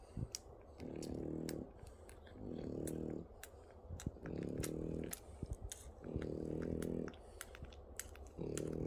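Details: French Bulldog puppies nursing for the first time give low, humming grunts in bursts about every two seconds, with soft clicking between.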